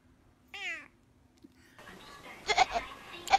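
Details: Pet cat giving a single short harmonic meow that falls in pitch, followed by scattered noisy background sounds indoors.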